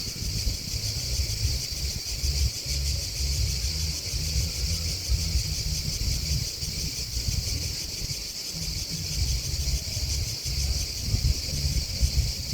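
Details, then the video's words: A chorus of crickets chirping, a continuous bright high trill somewhat softer here, accompanied by a low rumbling, gusty background. "Crickets Chirping Sound"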